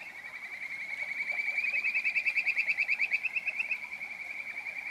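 A Kajika frog gives a high, bird-like trill of quick whistled notes that swells and then fades.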